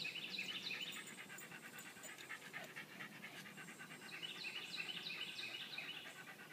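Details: Welsh Terrier at play with a ball, panting fast and steadily, roughly three breaths a second, airy and hissing, joined by short squeaky high-pitched bursts near the start and again later.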